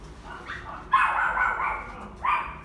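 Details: Female Kaninchen Dachshund puppy with a shaded-yellow coat, born June 2019, kept at a pet shop, gives a soft rising whimper, then a sustained tonal whine of about one second, and ends with a short yelp.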